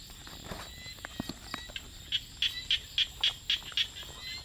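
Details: Frog in a rice field at night giving a rapid run of short, sharp, high pulses, about four per second, after a few scattered croaks, over a steady background drone of night insects.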